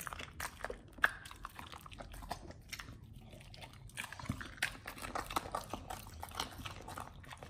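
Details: Pit Bulls chewing raw beef, quail egg and duck wing indoors; quieter moist mastication with scattered crisp crunches, one sharp snap near the first second and a busier run of bites later.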